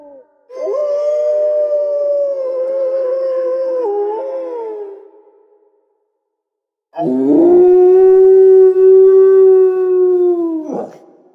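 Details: Wolf howls: a wavering, slightly quavering first howl that dips and fades out, then, after a pause, a lower, steadier howl that holds its pitch and breaks off abruptly.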